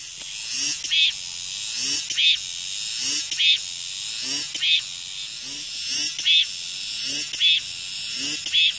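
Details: Cicada calling in regular, loud buzzy bursts about every second and a quarter, each phrase a sharp swelling rasp repeated steadily over a background of continuous high-pitched insect hiss.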